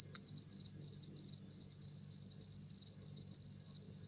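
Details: House cricket chirping: high, pure pulsed chirps, each a short cluster of rapid ticks, repeated about three times a second in an even run, over a faint low hum.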